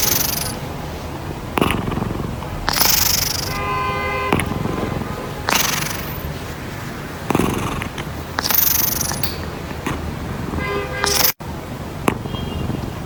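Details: Sleeping domestic cat snoring loudly, rough breathy rasps rising and falling every one and a half to two seconds, a few carrying a brief buzzing tonal whine, with faint background sound between breaths.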